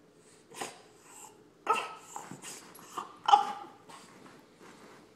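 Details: A male French Bulldog wanting attention whines in short, uneven bursts, high and nasal, as he grows impatient.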